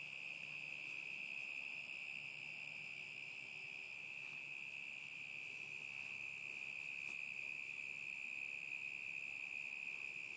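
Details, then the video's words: Summer 2010 crickets producing a continuous shrill trill at constant pitch and loudness across ten seconds, with a brief faint click near the seven-second mark. "Boston the boxer and crickets summer 2010"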